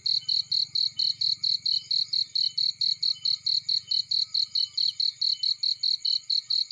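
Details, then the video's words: Field cricket chirping near a burning fire. Sharp, high chirps repeat steadily a little over twice per second for the whole stretch, with a low fire rumble in the background. "Warm Relaxing Fireplace In Field || Burning with Cricket Sounds"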